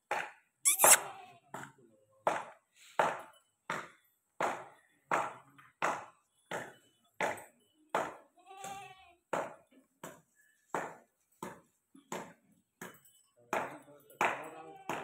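Goat bleats in a rapid series of short, harsh, nasal bursts, with a voice calling briefly.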